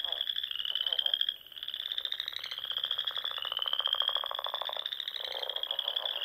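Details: Frogs singing at dusk in spring beside small ponds in the Sandhills of Nebraska; long, high pulsed trills with a brief dip in loudness early on, then a continuous rolling chorus with lower rapid pulsing.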